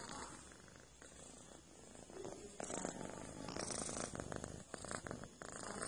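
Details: A cat purrs while massaging a companion, a steady, low, rumbling buzz that continues throughout, with faint rustling and brief soft bumps over it.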